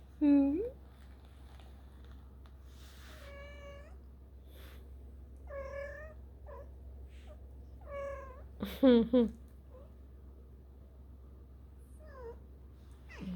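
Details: Kittens 4.5 weeks old exploring their world indoors, giving a string of high, clear mews that bend slightly in pitch, with a double mew near the end, spaced a second or two apart amid background music, laughter and a woman's voice.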